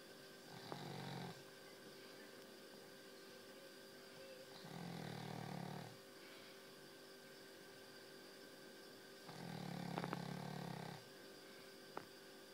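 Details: Very tired dog snoring loudly while asleep, three long rasping snores about every four seconds with a low rumbling buzz and quiet pauses between them.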